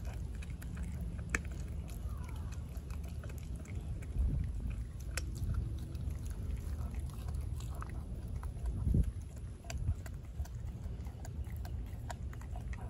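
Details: Denali, a four-month-old female American Blue Bay Shepherd puppy, gnaws a raw turkey neck: irregular sharp crunches and wet bites scattered over a steady low rumble, with a louder cluster of crunching near the ninth second.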